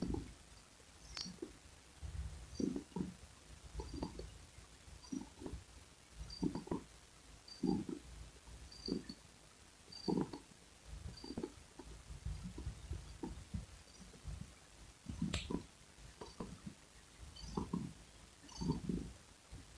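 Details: Domestic cat purring, soft low rumbling pulses rising and falling in a steady rhythm roughly every one to one and a half seconds, fairly quiet and close, with faint clicks between breaths.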